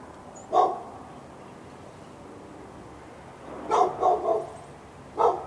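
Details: Pet dog in Raleigh, North Carolina, on February 15, 2012, barking nonstop from morning into afternoon at the dog next door; one bark, a pause, a rapid burst of three barks, then a final single bark.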